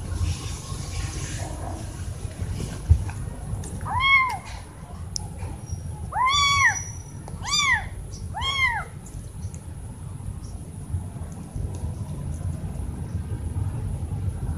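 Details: Kittens meowing loudly toward their mother when wanting food or attention: five bright, bowed meows between four and nine seconds, the last three coming in quick succession, against low background hum and scattered faint noises.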